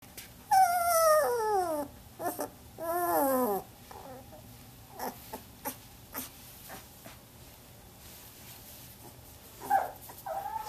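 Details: Samoyed puppies 18 days old, a litter from Athena at Arctic Diamond Samoyeds, sleeping indoors. One pup gives drawn-out, falling whimpering moans with harmonics, two long cries near the start, then quiet scattered clicks and a brief squeak near the end.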